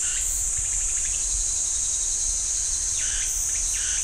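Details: Cicadas singing in a pine forest at Ssanggyesa temple, Jirisan National Park: a steady, piercing high-pitched drone throughout, with softer rasping pulses at lower pitch near the start and end.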